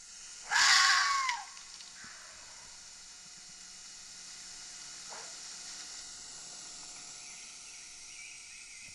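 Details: Red fox (Vulpes vulpes) gives one harsh, hoarse scream lasting about a second, then faint hiss and quiet.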